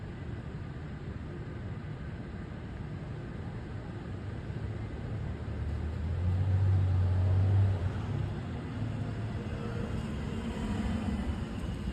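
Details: Street traffic rumbles steadily, and a car swells past midway along an urban road, with no animal sound.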